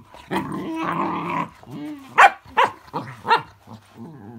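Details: Cookie the puppy reacting to a fidget spinner toy with a long, rough, wavering growl, a short whine, then three sharp barks and a trailing low grumble; faint human voice in the background.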